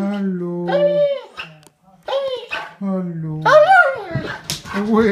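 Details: Affectionate homecoming howls from a Bernese Mountain Dog greeting its returning owners indoors: sustained, steady-pitched cries followed by rising and falling wavering yowls, with people talking nearby.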